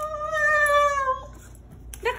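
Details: Rat Terrier howling as he greets his owner arriving at a parking lot: one steady, held, tonal howl lasting over a second, then a pause and the start of a brief higher yelp.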